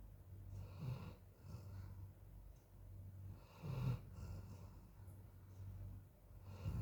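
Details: A tired Golden Retriever, worn out in very hot weather, snores while sleeping in low, rumbling breaths, roughly every three seconds.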